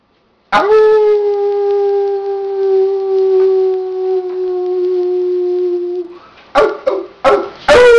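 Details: Pet dog howling along with a person: one long, steady, slightly falling howl held about five seconds with strong overtones, then a few short sharp yips and yelps at the end.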